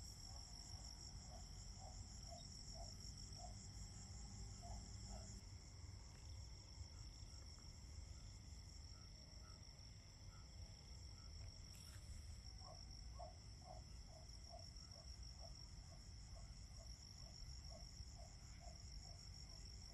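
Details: Crickets in fall, sustained shrill trilling at several high pitches with rapid pulsing. Runs of soft, evenly spaced lower chirps come early and late, a brief rustling burst falls near the middle, and a low rumble persists.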